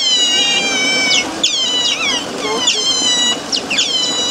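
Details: Several captive Eurasian otters at Zoo Basel in Switzerland give shrill, thin squeaks that start high and drop quickly, in clustered bursts about every half second to second, with quiet background noise.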